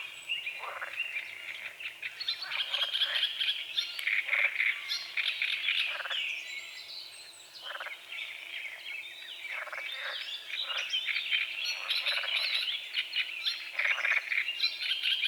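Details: A dawn chorus of frogs on a small forest-edge lake, with fog over the water. Harsh croaks come in irregular clusters, some close together and some spaced a few seconds apart, mixed with continuous high bird chirping and twittering.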